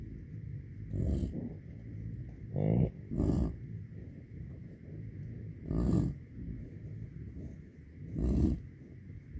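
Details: Herd of American bison, 125 cows with calves, driven back onto tame pasture so native grass can recover; a series of five short, low, rasping grunts at uneven intervals over a quiet outdoor background.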